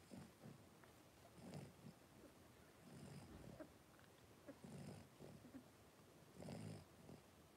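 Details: Soft snuffling grunts come from a litter of five blenheim Cavalier King Charles Spaniel puppies, three weeks old, as they wrestle in their pen, low rumbling bursts recurring roughly every one to two seconds.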